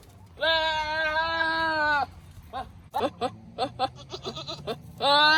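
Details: Male Nigerian Dwarf goat herding on a ranch gives a long, steady, strained human-like scream of about a second and a half, then a burst of short choppy barking grunts, and a final scream starting at the end.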